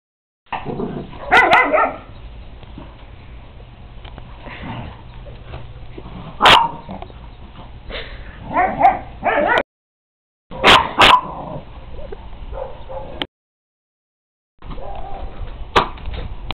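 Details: A female Dachshund plays outside with a whippet, giving sharp, scattered barks and yips in short bursts with quiet gaps between. Finding: Dachshund.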